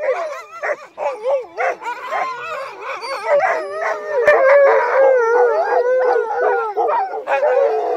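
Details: Crossbred husky mixes on a night sled run in heavy snow. Choppy yelps and whimpering cries swell into a sustained group howl of overlapping wavering tones, with one sharp click midway.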